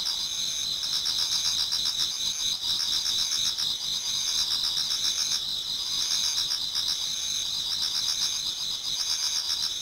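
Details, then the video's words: Insect chorus in a Japanese garden in autumn as dawn nears, dense overlapping high-pitched trills forming a constant ringing wash, with faster rhythmic pulsing chirps woven through and no other sounds. "Autumn Insects voice Towards dawn"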